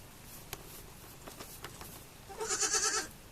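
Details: Baby goat on a farm giving one wavering, vibrato bleat near the end, preceded by faint clicks and taps.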